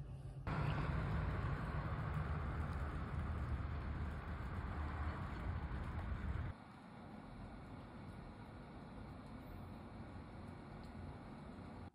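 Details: A loud, low vehicle engine rumble cuts off abruptly, leaving quieter background hum, with no animal voice.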